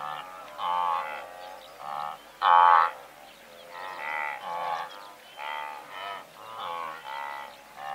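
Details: A herd of several hundred blue wildebeest, heard at medium-close range: a steady stream of honking grunts from many animals, one louder nearby honk standing out midway, larks audible faintly.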